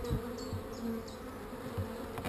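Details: Honey bees at an open hive during a hive inspection hum in a steady low drone, with knocks of equipment being handled and a short series of high, downward-sliding chirps repeating above.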